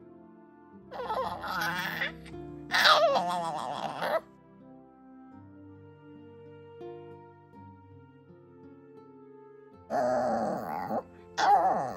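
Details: Background music plays throughout, broken by bursts of human laughter and speech in a small room, with no animal sound.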